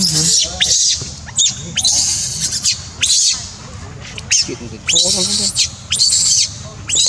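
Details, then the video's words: A crying monkey gives loud, shrill high-pitched screeches in repeated bursts, about eight in seven seconds, each often ending in a sharp falling sweep, with short gaps between cries. "Poor Monkey’s Crying Is Heartbreaking"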